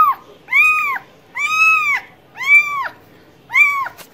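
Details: Domestic cat meowing four times, each call an arched, nasal tone rising then falling with rich harmonics, spaced about one second apart over a quiet background.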